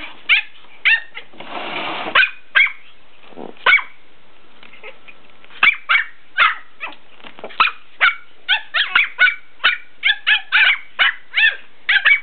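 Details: Two dogs barking back and forth at each other: a steady series of sharp, high yapping barks, roughly two per second in the second half, after a brief rustle and a few scattered yips at the start.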